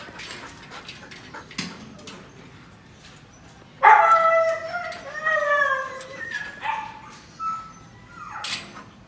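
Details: Siberian Husky at Melarn Kennel in the Philippines, a show-quality line: quiet background noises, then a sudden drawn-out whine that slides downward, followed by several shorter whimpers and a final rising squeal.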